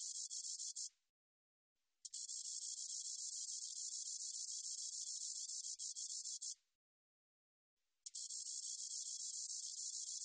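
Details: Spotted meadow katydid song from the National Institute of Biological Resources, 2020, in three bouts of thin, rapidly pulsing buzz, the middle one about four and a half seconds long, separated by clean silences of around a second.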